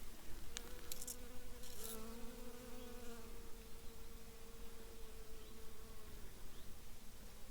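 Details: Honey bees working on flowering heather, a late honey plant, in a small meadow at the forest edge in Polissia; a steady low buzz holds for about four seconds, with brief ticking noises early on.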